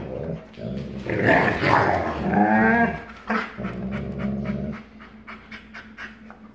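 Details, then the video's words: Wolf father, 44% wolf, in growl play with his 56% wolf son on 1 August 2018, showing dominance; harsh growling rises into tonal, wavering snarls around the middle, then fades into panting and quick snaps. "Growling Snapping Father (#AstroboyRen) 44% Wolf & his Son (#KandorSweetpea) 56% Wolf"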